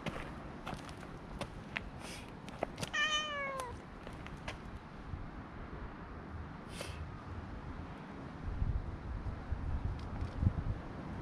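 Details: Stray cat on a promenade, petted as other cats approach, GoPro HERO7 recording: one short meow sliding downward in pitch, then long stretches of low outdoor background noise with scattered clicks and rustling.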